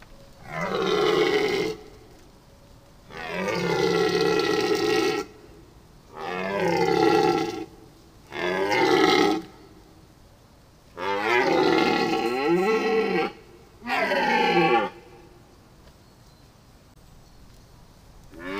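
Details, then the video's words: Deer giving loud, harsh roaring calls, each lasting one to two seconds. Six bouts are spaced by short pauses, with rough, grating tone and some bouts bending downward at the end. Faint background hiss sits between calls. "Deer sound"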